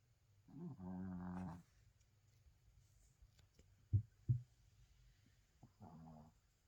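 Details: Sleeping Spitz snores indoors: a long rough low buzzing breath, two short snorts, then a shorter snore, over a steady low hum in a quiet room.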